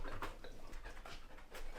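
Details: Panting from a male Samoyed dog at home when a play session abruptly halts: several breathy, rasping puffs in quick succession, close and low, with faint household noise behind.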